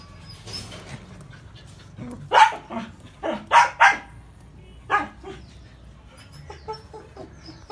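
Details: Labrador female, thirty days pregnant, giving a handful of short low barks and grunts around the middle, irregular spacing, over steady low background hum.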